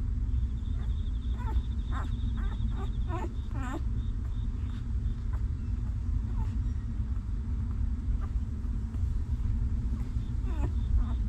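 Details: Newborn puppies of a stray mother dog whimper while she cares for them. A quick run of short, high whines with bent, layered overtones comes in the first four seconds, then a few more near the end, over a steady low rumble.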